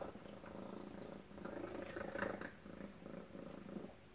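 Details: Domestic cat named Tacy purring at breakfast indoors; a low, steady rumbling purr with faint pulses, swelling in the middle and easing toward the end, with light clicks and small household noises in the background.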